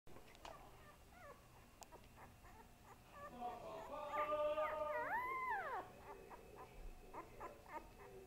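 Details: Pet dog named Boo Boo, described as little and growing, indoors: a few faint squeaky chirps, then a sustained tonal howl with rich harmonics that holds steady and ends in a rising-then-falling arch, followed by scattered soft whines.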